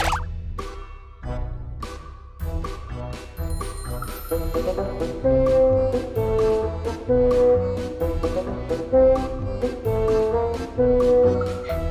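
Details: Playful background music with brass and plucked notes, bouncy plopping effects and a faint voice; no animal can be heard.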